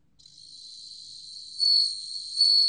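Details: Bell cricket producing a sustained high ringing trill, with two louder swells about a second apart in the second half.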